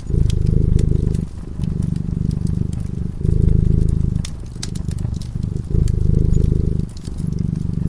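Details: Low rumbling purr from a cat asleep beside a fireplace, pulsing in loud and softer phases roughly every second and a half, accompanied by the sputter and crackle of flames.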